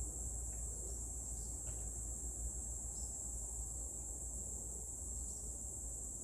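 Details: Cicadas singing in Meguro, Tokyo, Japan, on June 27, 2023; a steady, unbroken high-pitched buzzing drone throughout, over low traffic-like rumble.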